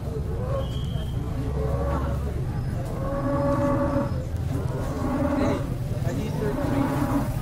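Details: Tame cattle being fed at an animal market give drawn-out, deep moos with rich harmonics, several in a row, over steady low rumbling crowd noise and muffled voices in the background.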